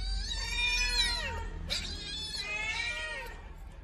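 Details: Pair of rescued baby kittens squabbling over food, one long strained yowl sliding downward, a short break, then a second wailing cry that rises and falls, over steady low background rumble.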